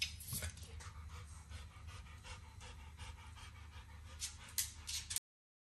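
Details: A 9-year-old Pit Bull licking and nibbling a treat of overcooked bacon in a home kitchen. Wet smacking clicks come in irregular bursts, several per second. A low, steady hum runs underneath and there is no talking.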